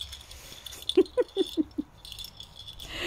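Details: Giant German Spitz puppies in the whelping room of the females Olympia and Gucci, indoors: five short, mid-pitched yelps about a fifth of a second apart, each slightly lower than the last, over soft rattling and jangling noise.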